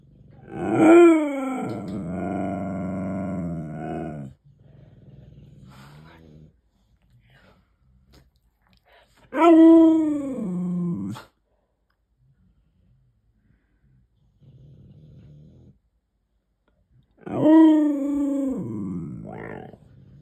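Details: Male Siberian Husky talking back indoors to demand a treat: three loud wavering howl-moans about eight seconds apart, each starting high and sliding down into grumbling, with quieter low murmurs between.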